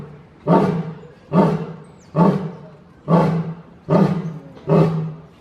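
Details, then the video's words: Lion roar sequence of six low, throaty grunts spaced a little under a second apart, each starting abruptly and tailing off, steady rhythm with no other clear sounds. "suara singa/ the sound of the lion roaring"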